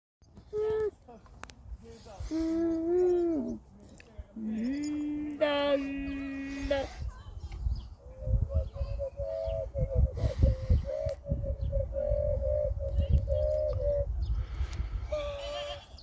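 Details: Happy goats playing in a farm pasture give long, steady, tonal bleats, some slightly wavering, in drawn-out runs lasting up to several seconds, with low rumbling background noise throughout.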